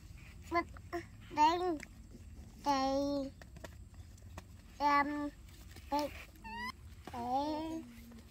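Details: Baby monkeys named Dorn and Dum give a string of short, clear, tonal calls, some flat and some gently rising or falling, separated by brief pauses, with a constant low background hum.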